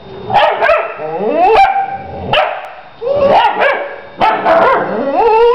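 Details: A mother dog and her female puppy 'talking' in dog language: drawn-out, yodelling howl-like vocalisations that bend up and down in pitch, broken into bursts roughly every second, with short bark-like onsets between them.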